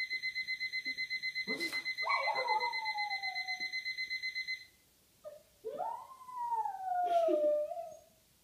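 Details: Boxer dog howling indoors along with a beeping alarm; steady repeated electronic beeps for about four seconds, then drawn-out wavering howls that rise and slowly fall, each lasting one to two seconds.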